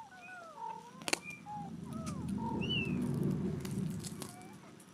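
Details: Cat family indoors after weighing: a mother calling her nine-day-old kittens back, recorded July 23, 2011; brief, thin, high mews come every second or so over a steady low rumble, with a couple of sharp clicks.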